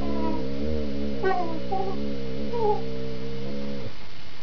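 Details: Critically ill pet dog growling while playing tug with a smaller canine companion, relaxed and playful despite sounding fierce; one long steady harmonic growl with brief higher whine-like overtones, ending abruptly after nearly four seconds.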